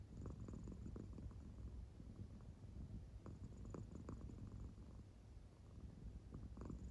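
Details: Deep, even purring rumble from an American Shorthair cat sleeping deeply, snore-like, with clustered breathy pulses recurring every second or so.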